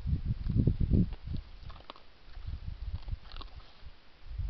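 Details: Wild boar at a feeder in January give low, rough grunts in irregular bursts, with soft crunching and clicking noises between them as they feed.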